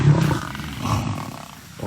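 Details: Lions of Thornybush, including the Northern Black Dam males and their prides, during an April 2025 clash with buffalo: a deep, rumbling growl under two seconds long, loudest at the start and swelling briefly again midway, with faint background noise.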